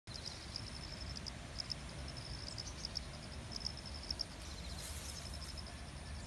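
An insect sings a thin, steady high whine with faint quick chirps over a low rumble.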